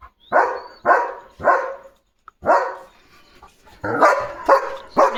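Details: German Shepherd Leo in guard mode at a parcel arrival barks three times, pauses, barks again, then ends with a faster burst of four loud barks.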